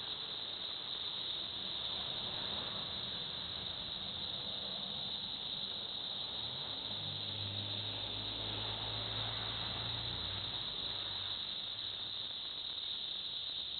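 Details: Chorus of cicadas in Villa Park, Illinois: unbroken shrill, hissing buzz at steady loudness throughout, with a low engine-like rumble passing midway.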